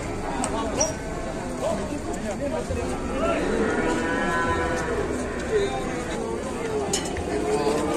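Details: Raging cattle on an Indonesian farm: drawn-out, wavering moos rise and fall over several seconds beneath excited shouting and chatter from people nearby.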